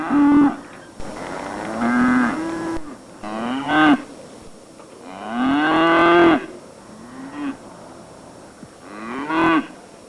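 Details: Cattle lowing in a run of five short-to-medium moos spaced a couple of seconds apart, each a nasal call that bends upward at the end, over a faint steady background hiss.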